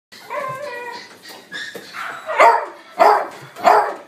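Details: Mixed-breed male puppy in a pet shop, born 31 December 2018, white and black coat, gives high wavering whines with layered overtones, then three sharp barks about 0.6 seconds apart.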